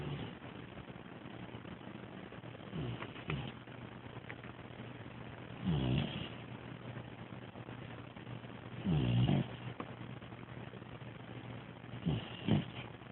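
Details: A sleeping new Bloodhound puppy snores in low, rasping breaths about every three seconds.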